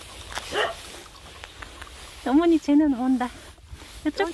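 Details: Mixed-breed puppies in Korea, with a run of short high whines and yelps near the end, each about half a second, some falling in pitch; people talk throughout and a light rustle sits in the background.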